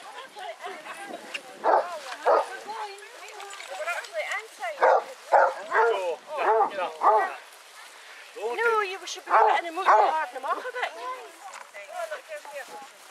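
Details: Basset Hounds, eighteen of them on a pack walk around Belwade Farm, Dess, Aboyne, Scotland, 10 August 2014; irregular bursts of deep barking and baying come and go over the clip, mixed with people talking nearby.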